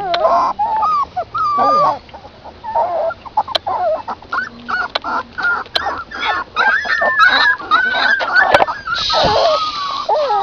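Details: Puppies nursing from their mother outdoors, drinking milk: a steady stream of high, wavering, squeaky whimpers and whines that overlap and bend up and down in pitch, with brief soft breaks and a few sharp clicks.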